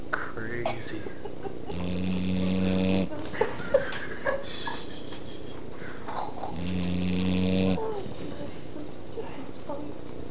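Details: Asia, a female Pit Bull, snoring like crazy: two long, rough, droning snores with a low buzzing tone, each lasting over a second and spaced several seconds apart, with quiet breathing in between.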